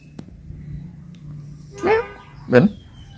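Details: Pet cat playing outside in front of its home, uttering two short, loud, harmonic meows about half a second apart over a low steady hum.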